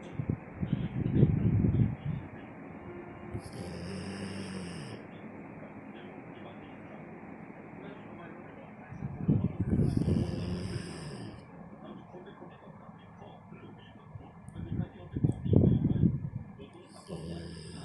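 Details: A dog snoring loudly while asleep on its owner's chest, recorded 4 November 2021: deep, low rumbling snores in slow bursts about six seconds apart, with soft talking, bright electronic sound-effect tones and a faint background hum.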